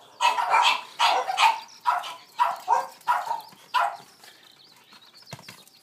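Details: Boston Terrier named Rose, a pet dog wildly excited by a ball while playing and rolling it, barks in a quick series of about nine sharp yelps over four seconds, then quiet with faint knocks and rustling.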